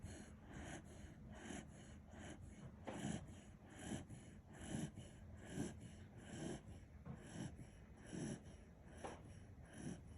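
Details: Sleeping Kishu dog Kinchan snoring steadily, a sound sleeper: rhythmic, wheezy breaths slightly faster than one per second, low and airy, in a quiet small room.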